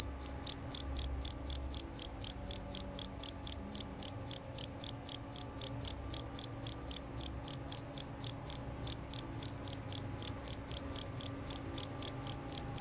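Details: Loud and clear chirping of a male jerabang cricket: high, ringing pulses repeated about four times per second, even and unbroken for nearly thirteen seconds.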